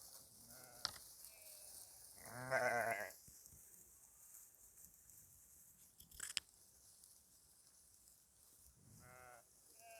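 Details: Sheep farmed in northern Spain, with pregnant ewes during the mating season; one loud bleat with stacked harmonics near the start, a fainter bleat near the end, a sharp knock midway, and low background noise.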